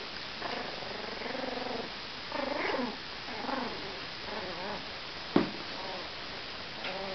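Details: Cavalier King Charles Spaniel puppies, 26 days old, making soft wavering whines and whimpers in repeated bursts of about a second, over steady background hiss, with one sharp knock midway.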